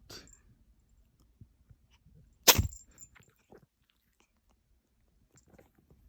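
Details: Short-legged Munchkin kitten in a bout of repeated sneezing. A single abrupt, hissy sneeze bursts out midway, surrounded by soft rustles and small clicks indoors.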